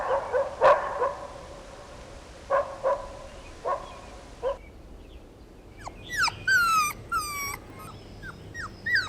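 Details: Outdoors, a mother dog barks playfully in short bursts during a toy battle with her puppies, followed by high, rising puppy yips and whines.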